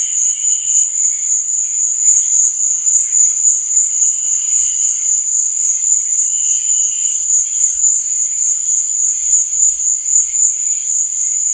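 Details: Nighttime crickets, one constant high, thin trill overlaid by brief, lower chirping bursts that repeat at intervals of about two to three seconds.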